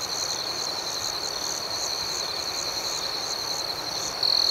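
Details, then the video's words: Crickets at night in a relaxing ambience recording, a steady high-pitched trill held throughout with a faster pulsing chirp layered above it, beating several times a second, and a brief louder swell near the end. "Soothing Cricket Sounds"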